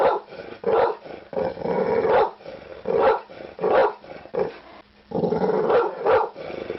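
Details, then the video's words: Dog barking in a series of harsh, rough-toned barks, each lasting under a second, with short gaps between them, some merging into longer, growly bursts. "dog bark sound effect"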